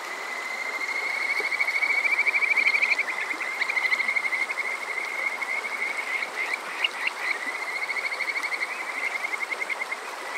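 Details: Kajika frog chorus on a summer evening at Yokoze, Chichibu, Saitama, Japan; bright high whistled notes run together into a fast rising trill, then break into quick repeated chirps, with a softer second caller and stream noise behind.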